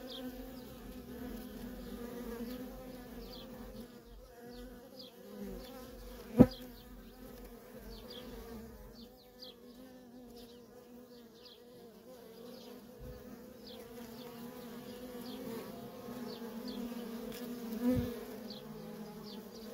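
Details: Nonstop worker honey bee traffic at a feral colony, wild: an even, layered buzzing drone holds steady, scattered fly-by whines overhead, a sharp knock near six seconds and a louder close pass near eighteen seconds.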